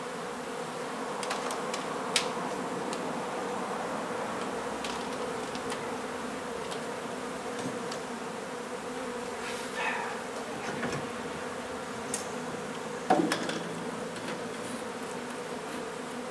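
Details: A honey bee hive is taken out of an old home in Donna, Texas, and relocated. Its bees keep up a continuous, steady hum, with scattered clicks, taps and scraping from the removal work throughout.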